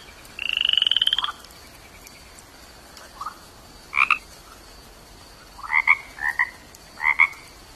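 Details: A tiny toad opens with one high, buzzy pulsed trill, then answers with scattered short chirps, some doubled, over a quiet hissing background.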